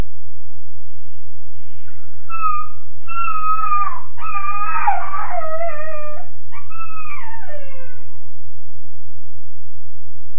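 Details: Weimaraner puppy about 13.5 weeks old, alone in his kennel crate, wailing: a run of high, harmonic-rich cries rising and falling, several bending downward in long slides near the end, over a steady low electrical hum.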